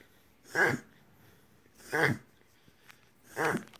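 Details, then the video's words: Jasper, a pet Whippet, reverse sneezing inside, a harmless episode confirmed by a vet: three harsh, wheezing snort-like gasps spaced roughly every one and a half seconds, with faint room noise between them. "Jasper The Whippet Reverse Sneezes"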